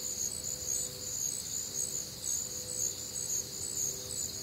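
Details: Warm, humid Midwestern summer night with crickets calling: layered high-pitched trills pulsing roughly twice per second over steady faint noise, plus a thin low hum.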